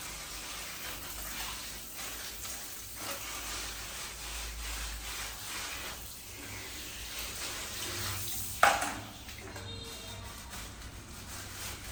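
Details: Steady hissing, running-water noise with faint background music and one sharp knock; no animal voice.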